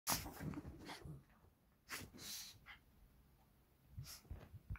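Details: Two Shih Tzu brothers playing at home give short, breathy snorts and sneezy puffs, spaced irregularly a second or so apart.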